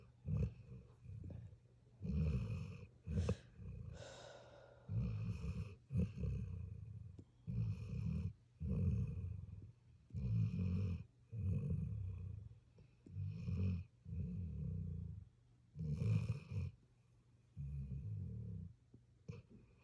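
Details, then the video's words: Sleeping puppy producing a long run of short, gruff snoring breaths, quicker and more irregular in spacing, with one drawn-out grumbling sound near the start. "Puppy snores"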